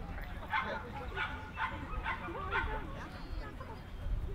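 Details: Jack Russell Terrier at a breed speciality show held by the Jack Russell Terrier Club of NSW, Orchard Hills, 15 October 2015, giving five quick yappy barks roughly every half second, then quieter, with people talking underneath.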